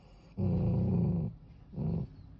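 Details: Pet dog, a female, angry at being called for a bath, giving two low, rough growls, the first about a second long and the second shorter.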